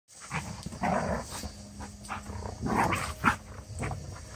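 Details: Two female Giant Schnauzers goofing off together in a front yard; rough play growls and short gruff barks come in bursts, loudest around one second and again near three seconds, with outdoor background noise.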